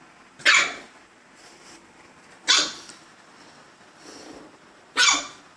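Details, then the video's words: Gizmo the dog barks at himself, three loud sharp barks spaced roughly two seconds apart with a faint softer sound in between, quiet background. "Gizmo Barking at Himself"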